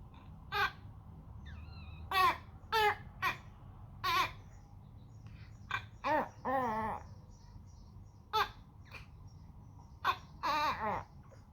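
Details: Pomeranian dog 'talking': a string of short, harmonic yelps and whiny vocal bursts, about a dozen spread across eleven seconds, several with wavering pitch, over a steady low hum.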